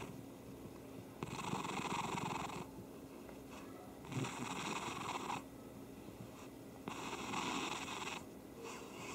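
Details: Domestic cat purring: three long, hoarse, rasping bursts of steady rumbling, each lasting over a second, with quieter breathing-like gaps between them in a quiet room.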